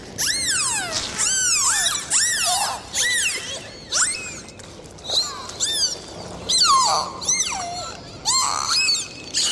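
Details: Dolphins underwater in the sea trade a lively series of loud, swooping whistles, arching up and falling away in quick succession with brief gaps between groups, over a faint watery hiss.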